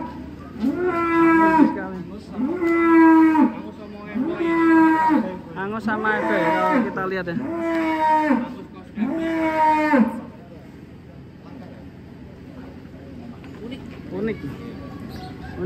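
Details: Huge black champion contest bull, Undertaker, bellowing six long moos in quick succession over roughly ten seconds, each a flat, resonant low call, before fading into quieter background noise with a faint voice.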